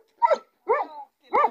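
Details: Three loud, deep barks from a large Pakistani American Bully dog, each short and rough, spaced about half a second apart.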